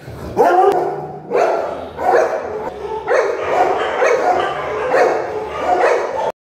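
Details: Labrador Retriever named Bruno at a pet care center in Sarjapur, Bengaluru, barking loudly indoors: about seven deep, hoarse barks, roughly one every second, each a short punchy burst with a rough harmonic tone.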